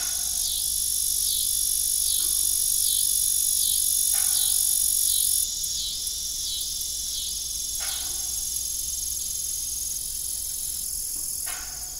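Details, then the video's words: Evening crickets on an old farm with a derelict windmill, a dense high trill with rhythmic looping pulses, layered with a thin steady whine that stops partway through and a few dull knocks. "Evening Cricket Sound"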